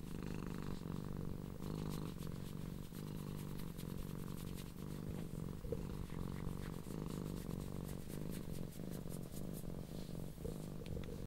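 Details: Blue and cream tortoiseshell cat named leGrey, a pet, purring loudly in appreciation while being stroked and rolling over; a steady low rumbling purr runs continuously with rhythmic pulsing, plus faint soft rustling and handling clicks.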